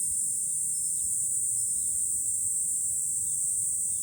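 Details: July cicadas on high ground looking out over Fukuoka City, Japan, droning in an unbroken shrill wash of sound, with a few soft, brief bird twitters in the background.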